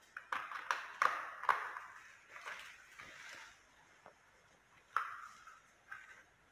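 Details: Kittens giving short, thin, high mews in a quick run of about five calls over the first second and a half, then softer drawn-out cries, with one more sharp mew near five seconds and a faint one after.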